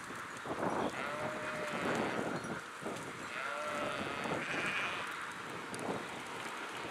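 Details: Flock of sheep bleating, several faint, quavering calls overlapping at different pitches across a steady rustling background.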